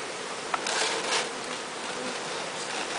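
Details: Bee swarm, captured from the top of a large tree, being walked into a new hive: a dense, steady buzzing hum with a broad hiss of wingbeats, a sharp tap near the start, and voices nearby.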